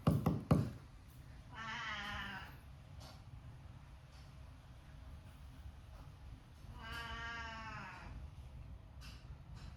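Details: Domestic cat giving two drawn-out, nasal meows about five seconds apart, each a rich harmonic wail. Knocking thuds at the very start, then a steady low hum underneath.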